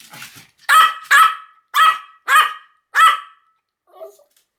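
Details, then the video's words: A run of six bright, yappy Pomeranian barks, evenly spaced about half a second apart. A faint, soft sound trails off at the end. "犬の鳴き声 ポメラニアン 1000回吠え"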